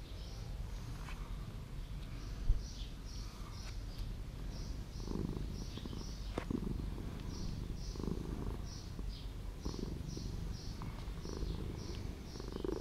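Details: Street cat living in an old house, purring softly in rhythmic low rumbling bursts that swell roughly every second or two, with steady high bird chirps repeating in the background.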